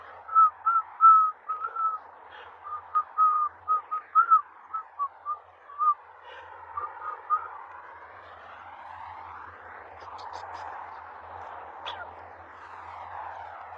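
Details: Husky puppies give a string of short, high, whistle-like whines in quick uneven bursts, then softer wavering, breathy whimpering over a faint low hum.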